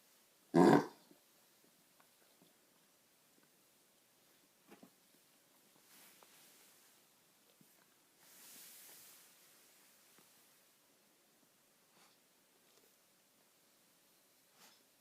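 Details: A Golden Retriever puppy on its first night of kennel cough, caught from a neighbour's dog, gives one loud, rasping, explosive cough; afterward only faint, scattered room noises and a soft breathy rustle remain.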